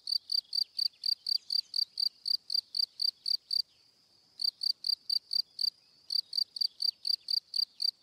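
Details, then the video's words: High, bright cricket chirps pulsing about four per second, broken by two short pauses of silence before resuming at the same steady pace; nothing else audible. "Cricket Sound - Cri Cri - Cricket Singing"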